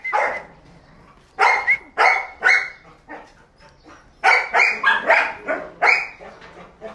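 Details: Belgian Malinois named Paraluman barking in bursts: a single bark, a quick run of three, a pause, then a fast volley of six or seven sharp, ringing barks.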